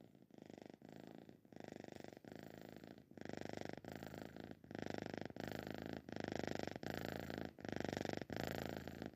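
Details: Sleeping cat snoring indoors: a coarse, rattling purr-like rumble in rhythmic bursts of roughly 0.7 seconds, each broken by a short breath gap, growing slightly louder over the stretch.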